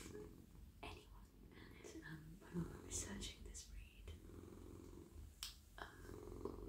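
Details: Cosy male domestic cat being stroked on the head, neck and whole body, giving a low, even purr beneath quiet whispering and occasional rustles of hands moving through fur.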